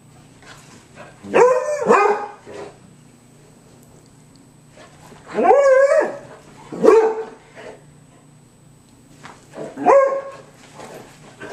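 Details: Pet dog with a shrill bark giving four loud, high-pitched, harmonic barks, some doubled, spaced a few seconds apart, with a steady low hum and faint ticking between them.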